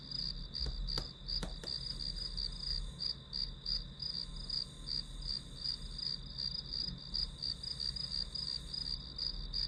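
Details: Shrill chirps of grass insects run on without pause, pulsing rapidly and evenly high in pitch, with two or three sharp clicks early on and a low steady hum beneath.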